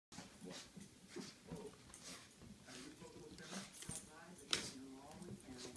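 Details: A Shih Tzu playing hard with a toy makes short whiny grunts and growly noises, with a person talking nearby.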